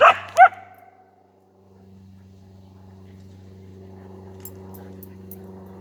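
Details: A Siberian Husky playing with a rooster gives two quick, sharp barks in quick succession, then falls silent while a steady low mechanical hum continues.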